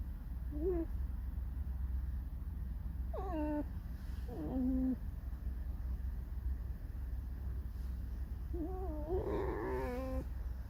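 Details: A pet fox, said to be grumpy and complaining, makes a few short nasal squeaks and wavering whines, spaced several seconds apart. A constant low hum runs underneath.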